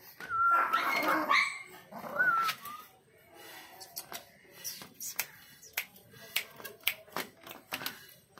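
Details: Miniature Pinscher puppies in Kochi give high, whiny yelps, followed by sharp clicks and taps.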